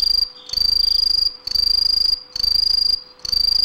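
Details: Green tree cricket (Aomatsumushi) singing loud, high, shrill trilled bursts of just under a second each. The bursts repeat with short pauses, and four or five phrases are heard.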